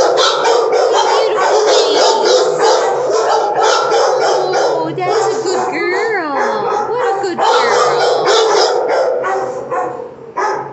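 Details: Several puppies yelping and barking without pause, the overlapping calls packed tightly together, broken by long wavering whines that slide down in pitch near the middle, before fading at the close.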